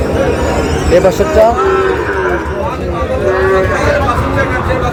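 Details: At a Chittagong cattle market, Sahiwal bull calves moo in short, wavering calls while people talk loudly nearby.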